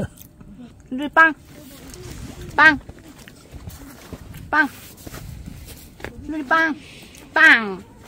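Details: Dogs on an autumn Halloween camping trip at a pet-friendly lakeside campground, Munsugol Healing Campground in Gimpo; three pets, two Yorkshire Terriers and a Poodle. Five short, sharp, high yaps spaced irregularly over eight seconds, with quiet background between.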